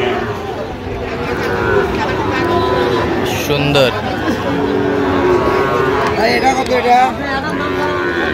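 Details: Sahiwal bull calves at a busy cattle market serving a Dhaka farmer, 17 October 2025: several low, drawn-out moos with layered harmonics rise and fall over steady crowd chatter and people talking.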